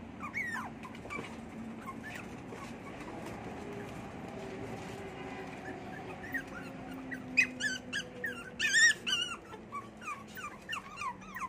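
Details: Small poodle giving a string of short, high, thin whimpers and yips, each sliding downward, scattered through the first seconds, then louder and more rapid near the end; a low steady hum runs underneath.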